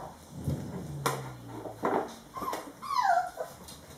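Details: Five-week-old German Shorthaired Pointer puppies from a litter at playtime, one giving high, sliding whimpers and whines that rise and fall, mixed with scuffling, thumps and a low rumble of movement indoors.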